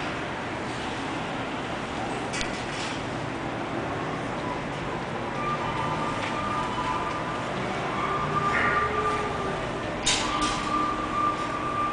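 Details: Steady rumble of vehicles or a passing train with brief faint speech and a few thin tonal whines, and no animal voice.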